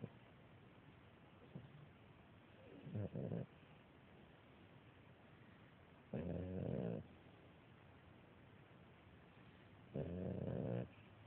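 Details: Female beagle puppy snoring while sound asleep on her mother: three rough, harmonic snore bursts roughly every three to four seconds, the first short, the later two nearly a second long, over a quiet room hiss.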